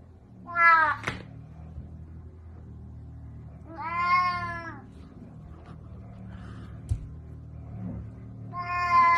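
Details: A domestic cat, apparently not in the mood, gives three loud, drawn-out, wavering meows spaced about four seconds apart. A person speaks Russian, complaining of being bitten, over a low steady hum.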